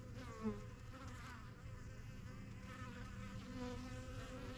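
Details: A crowd of honey bees flies around their new yellow backyard hive in spring 2023. Layered buzzing tones rise and fall over a continuous low hum, with a brief sharp close pass near the start.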